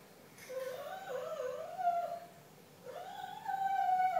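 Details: Retriever kept as a comfort dog, singing spontaneously: a wavering, wobbling howl that slides and dips, a brief pause, then a second howl rising sharply and holding a higher, steady tone.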